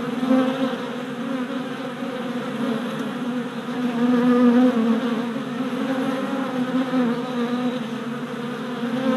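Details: Orientation flights of worker honey bees outside a freshly installed package hive in late April: a thick, constant hum with harmonic overtones, rising in loudness around the middle as bees crowd nearer.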